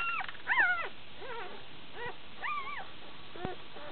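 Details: One-day-old Shiba Inu pups, a litter of six in Belgium, squeaking while drinking: short arched whines and squeals, a louder cluster near the start, then scattered thin cries.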